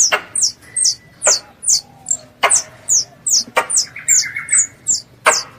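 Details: Pest squirrel calling its mother, recorded as a lure for ambush hunting: loud, high, falling chirps repeated about twice a second, each paired with a sharp click, a brief whistled tone in between.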